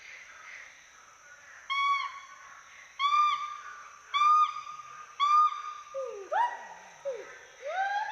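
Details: Western hoolock gibbons at play in the forest of Hollongapar Gibbon Sanctuary, Assam, two animals swinging through trees. Clear, steady, tonal hoots are spaced a little over a second apart, then give way to swooping upward whoops near the end.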